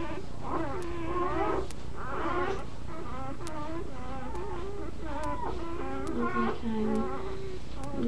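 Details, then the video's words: Nursing puppies with their mother dog indoors, whining steadily in overlapping, wavering, harmonic cries, some sliding down in pitch, several pups calling at once over a low room hum. "Puppies Making Noise"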